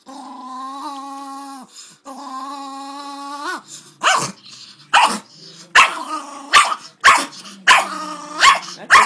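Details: Jack Russell Terrier and Miniature Pinscher mix, a male pet dog, reacting when rubbed the wrong way: a steady whining growl held for several seconds, then a run of sharp, loud barks about once a second.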